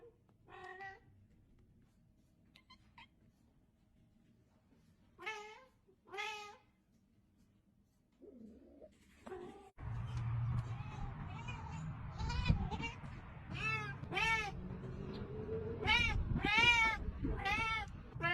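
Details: Pet cat meowing sporadically, then a rapid string of repeated high meows about every second over a loud rumbling background noise.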